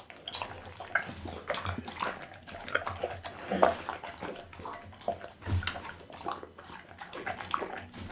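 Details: Close-up of a pit bull, Bounce, eating raw meat, boiled loach and tuna. Wet, slurping bites and crackling crunches come in steady irregular bursts, with one sharper crunch near the middle.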